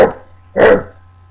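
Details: Dog giving two short, harsh barks about half a second apart, close and loud, with a faint steady low hum between them.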